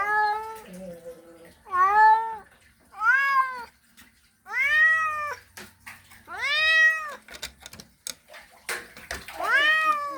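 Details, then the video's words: Male cat in heat calling for a female: a series of six loud arched yowls, strongly harmonic and slightly nasal, spaced roughly every one to two seconds, with faint clicks and a low hum behind. "Male Cat Mating Call Sound Effect"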